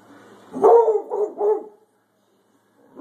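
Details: Pet hound barking at a thunderstorm: three loud, rough barks in quick succession, the first strongest, then silence and the onset of another bark at the end.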